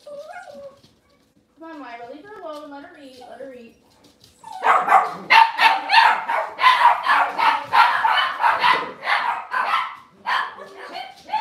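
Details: Cavalier King Charles Spaniel puppies indoors on a kitchen cam: a run of wavering high whines, then a burst of rapid repeated yapping barks about every second that continues loudly to the end.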